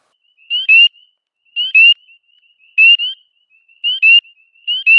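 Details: Spring peeper calling up close among many others, a small frog hiding in dense vegetation and calling loudly so it can be picked out by those attracted to it. High, clear peeps come roughly once a second, each a short note followed by a louder upslurred one.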